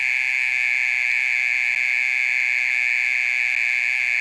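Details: Loud nocturnal call of a mole cricket that goes on for over thirty minutes; a sustained piercing buzzing trill, steady in pitch, with faint low background rumble beneath.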